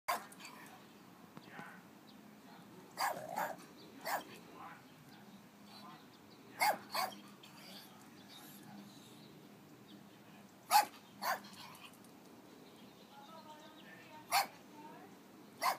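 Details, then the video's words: A Chihuahua rat terrier guarding a house in Palm Springs gives sharp, isolated barks in pairs and singles spread across the recording, with quiet gaps between and a faint voice in the background. "guards the house"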